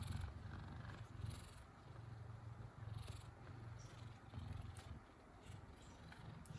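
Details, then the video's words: Male F2 Savannah cat, a gentle pet indoors, purring steadily: a low, rough rumble pulsing in regular beats of about two per second throughout, with no other clear sounds. "Gentle Giant Savannah Cat Has The Cutest Meows And Purrs!"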